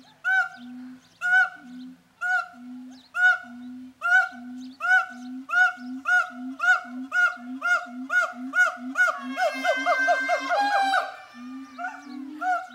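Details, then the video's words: Siamangs at a zoo, Zooworld, calling loudly at each other before an event: regular hoarse barks with low booms beneath, repeated about once a second, speeding up into a dense shrieking climax near the end. "Siamangs singing"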